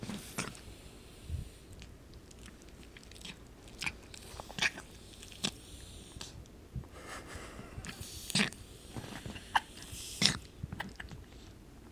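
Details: Crunching, biting and chewing noises in a small room, with no clear animal call.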